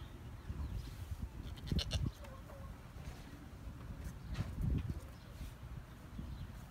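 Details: Two brief, trembling bleats from Jazmin, a Nigerian Dwarf goat kid, come roughly three seconds apart, set against low rumbling noise throughout.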